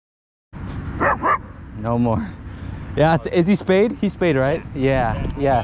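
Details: Pit bull and Belgian Malinois clash at a dog park, a territorial attack: a rapid string of sharp yelping barks and yips, several clustered close together, with people's voices mixed in.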